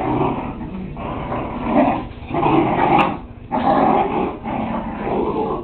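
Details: Playing Whippet puppies captured with a Kodak DX6440 Zoom camera, growling in rough, raspy bursts roughly once a second, mixed with short yips and a brief sharp click midway.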